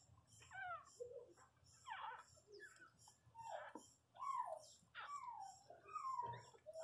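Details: Pinscher female named Riqueza giving birth indoors to her first puppy, a male; high squeaky cries slide downward, short whimpers repeated irregularly about once a second, with soft human voices in the room.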